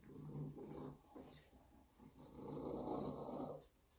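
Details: Savannah cat purring loudly, a deep rumbling motor that swells and fades over a few seconds, with a steady close-up buzz in two long stretches.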